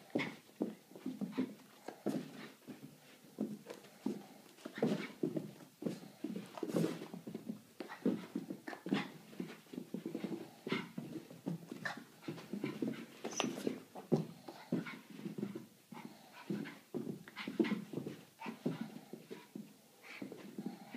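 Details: Boston Terrier; play barks; inviting play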